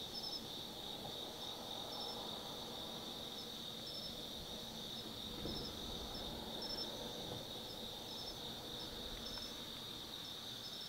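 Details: Insects of the autumn woods at Tsukimi no Mori, Kaizu, Gifu, Japan, heard at night from a 180 m viewpoint: steady piercing trill chorus with intermittent paired chirps above it and faint low ambient rumble.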